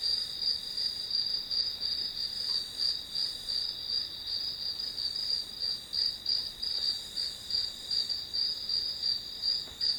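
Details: Continuous grass insect chorus, bright and shrill, beating in even pulses close to three per second. The rhythm stays unbroken from start to end over a soft background hiss.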